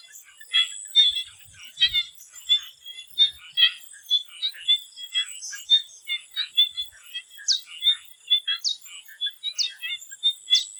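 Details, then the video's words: Frogs in a Thai swamp before sunset trade sharp, pulsed croaks in a busy chorus. Later, brief high downward chirps repeat about once a second over a continuous insect drone. "The Relaxing sound of swamp frogs"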